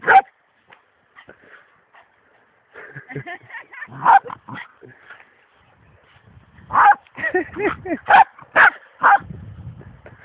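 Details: A funny, crazy pet dog gives scattered yips at first, then a quick run of loud, sharp barks close together near the end, with human voices and laughter in the background.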